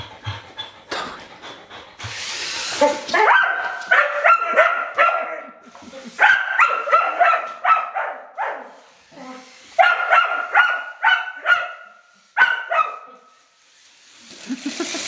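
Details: Rough collie female provoked again by a child's radio-controlled toy car, barking in excited bursts of three to six high barks, some rising into yips, with a brief rustle early on and quiet gaps between bursts.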